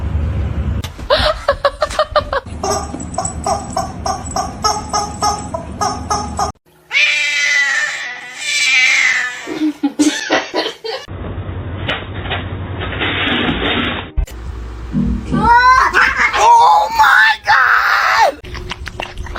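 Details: Domestic cat from a compilation of funny cat moments, wailing in drawn-out, wavering yowls between abrupt edits, with music and laughter in other segments.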